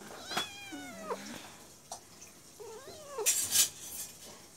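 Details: Two young brother cats fighting on a person's lap: a rising-then-falling wavering meow, a short pause with a soft thump, then a second bent, whiny cry, followed by a burst of rustling.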